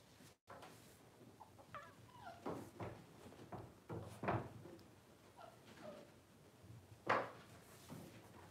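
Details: Twelve-day-old Blenheim Cavalier King Charles Spaniel puppies, part of a litter of five born to Paris and Spike around New Year's 2023, giving short, thin whimpers and squeaky whines at irregular intervals, mixed with soft thuds and rustling indoors.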